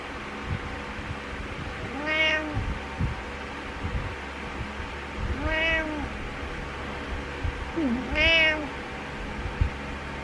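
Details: Morning meows from Butters, a house cat, three drawn-out arched meows spaced about three seconds apart with a faint lower chirp before the last, against a quiet humming room.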